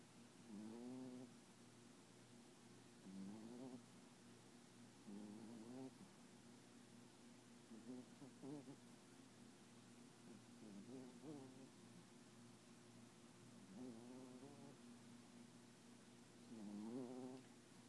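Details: Papillon dog asleep and dreaming, tongue out and eyes open, making soft nasal whimpering snores: short wavering, slightly rising tones repeated roughly every two to three seconds over a steady low hum.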